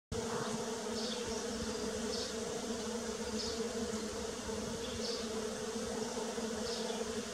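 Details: A steady, low droning buzz of bees in early spring hums without pause from start to finish.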